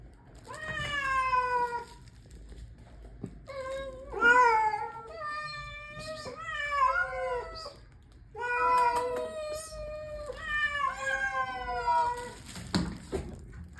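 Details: Street cats being fed keep up a chorus of loud meows, about eight drawn-out calls that mostly fall in pitch, some wavering, separated by short pauses, with faint rustling near the end.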